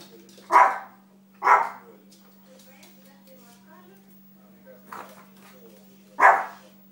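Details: Small dog during play and training, barking sharply four times at irregular intervals, the fourth bark as loud as the first two and the third softer, with quiet voices and a steady low hum in between.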